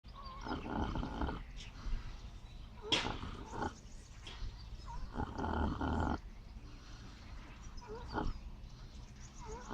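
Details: Miniature pot-bellied pig asleep and snoring: raspy, breathy snores about a second long at irregular gaps, each a broad rough rush of sound, with faint higher squeaky notes between breaths.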